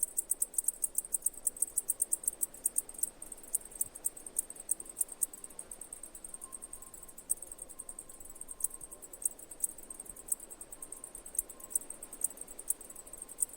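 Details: Cicadas singing: a high, shrill, rapidly pulsed buzz that ticks on steadily throughout, with a faint thin tone drifting in lower down midway.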